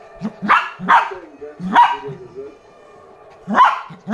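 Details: Lhasa Apso puppy barking at a new toy, a few bright yaps and softer grunting yips, with a quiet pause before a final loud bark.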